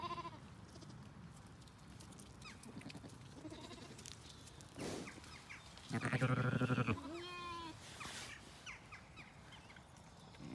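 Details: Zwartbles sheep on a regenerative farm in County Kilkenny, Ireland: lambs, including one named BigEars, in the evening while the ewes eat a meal. Amid steady low rumbling noise, a loud harmonic bleat lasts about a second, followed by a higher, wavering call.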